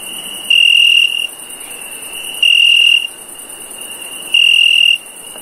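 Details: A cricket at night gives shrill, pure-toned chirps about every two seconds over a faint steady trill.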